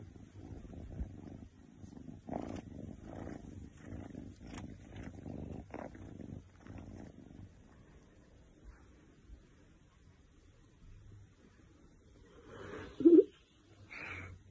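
An Oriental Shorthair cat purrs contentedly with a low, steady, pulsing rumble.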